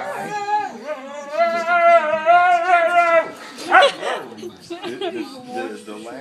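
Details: Pet Siberian Husky complaining during a tussle with another dog over chewy chips: a long, wavering, tonal moaning whine for about three seconds, then a sharp yelp and softer grumbles, over a television with talk and music.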